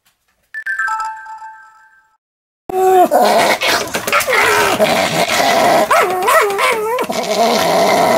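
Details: Pomeranian; angry barking; aggression, an angry dog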